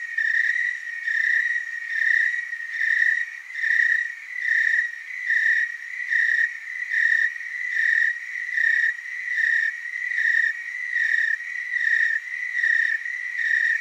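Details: Willamette Valley, Oregon tree cricket chorus: a sustained, shrill, bell-like trill throbbing in even waves a little more than once per second, several crickets singing in loose synchrony, nothing else audible.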